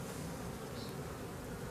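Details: Honey bees from a drone-laying hive humming steadily while a frame packed with drone brood is examined; continuous low buzz with a faint brief higher note midway.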